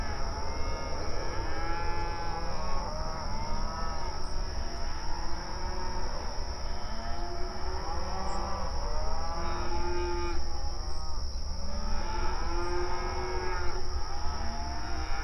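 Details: Grazing open range cattle calling to one another in an outdoor pasture: a chorus of long, arching moos overlaps at varied pitches, with several loud, bright calls near the middle and end. A steady high whine and low rumble persist.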